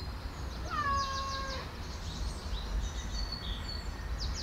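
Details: A single drawn-out meow of nearly a second, steady and harmonic with a slight fall, comes from Diamond Nose, a spayed female street cat fed for more than eight years; faint high chirps and low rumble follow.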